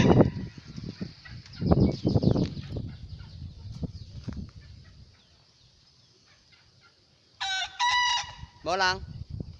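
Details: A young bekisar rooster, billed as a contest hopeful, gives two clipped crows near the end, the second bending and wavering. Heavy knocking and handling noise fill the first half, over a constant high-pitched insect-like hiss.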